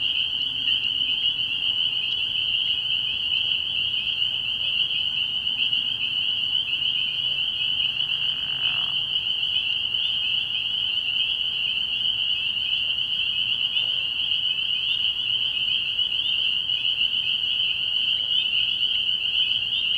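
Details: At night in early spring, a pond full of spring peepers keeps up a continuous high-pitched chorus of piping peeps that never pauses, with only faint low murmurs beneath.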